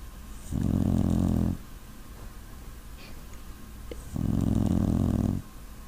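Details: Puppy dog snoring: two long, rough, low rumbling breaths, each lasting about a second, separated by quiet pauses. Nothing else is heard.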